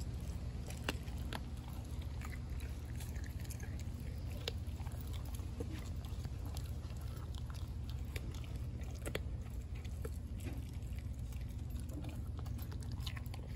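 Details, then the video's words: American Blue Bay Shepherd puppy Denali, four months old, works on a raw turkey neck, giving sparse sharp crunches and clicks, roughly two per second, against a constant low hum. "Puppy Eats Turkey Neck | ASMR"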